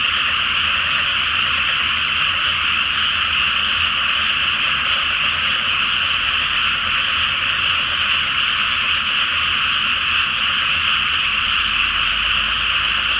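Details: A seasonal frog chorus at night over a flooded, unplanted rice paddy lit by a full moon; many overlapping croaks form a steady, unbroken din, with a faint low rumble near the end.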